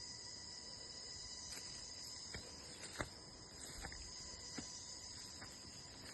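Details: Crickets in a natural outdoor setting give a continuous high, even shrill trill, with faint scattered clicks and taps over a soft background hiss.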